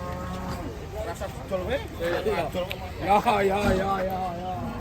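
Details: Raging cattle in Indonesia, quick overlapping moans and bellows with wavering, rising and falling tones, fairly dense, with a steady low hum and background noise.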